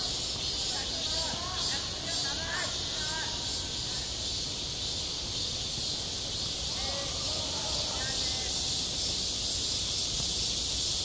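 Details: A summer school playground filled with cicada song: one continuous high, shimmering buzz, while faint, distant voice-like sounds rise and fall beneath it.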